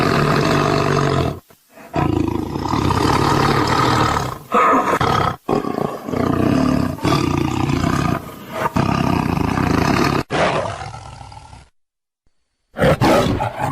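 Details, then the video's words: Roaring tiger: powerful, rasping roars of several seconds each with layered harmonics, broken by brief pauses and a near-silent gap before a final loud burst. "The sound of a tiger roaring/Suara harimau mengaum"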